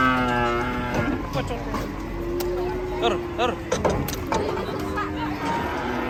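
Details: A raging cow's moo opens with a rich harmonic bellow, followed by shorter, uneven calls mixed with human voices and clatter.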